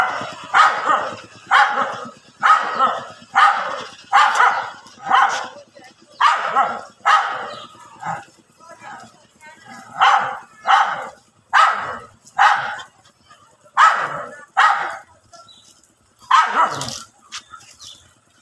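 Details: Angry dogs in a fight on grassy ground bark repeatedly, about fourteen harsh, raspy barks spaced roughly a second apart, uneven in loudness, with one higher, sharper bark near the end.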